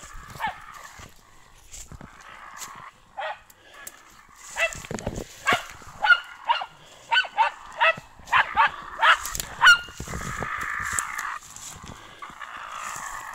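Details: Brita, a German Hunting Terrier, lets out a fast burst of sharp, high yapping barks in the middle, about ten in quick succession, framed by quieter whining calls and background rustle.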